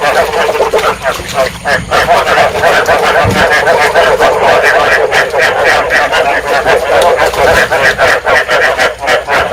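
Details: Field frog calls from Vietnam used to attract frogs to traps and to stimulate breeding: a loud, continuous mass of rapid rattling croaks from many frogs, steady in volume throughout.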